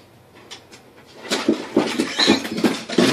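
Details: Pug indoors making a run of short, low grunting snorts, about one every half second, growing louder toward the end, with a faint brighter squeak midway.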